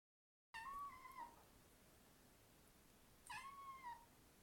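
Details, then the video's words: Domestic cat talking indoors: two drawn-out, slightly wavering meows about three seconds apart, each holding steady before sliding down at the end, over a quiet room background. "Mia the cat talking"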